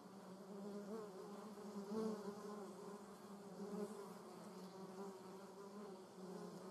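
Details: Flying German wasp in a garden, giving a continuous low buzz with rich overtones that swells twice, early and midway, as the insect moves about near the recorder.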